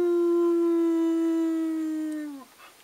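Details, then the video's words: Pet dogs Ben, Ludo and Tina making a right noise, called on by an owner: a single steady, mournful howl with rich harmonics, holding level for over two seconds, then dipping and fading out. "The howling"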